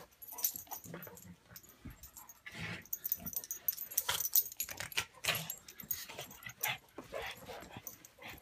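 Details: Play-fight between Buster, a pug, and Patton, an English mastiff: rapid broken snorts and grunting growls mixed with scuffling, coming in uneven bursts with brief lulls.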